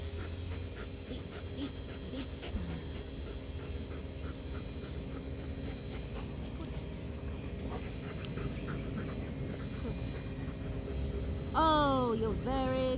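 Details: Bellatrix, a working line German Shepherd female, during muzzle training with a toy as the reward; steady panting through most of the clip, then a burst of high, wavering whines near the end, with a calm human voice nearby.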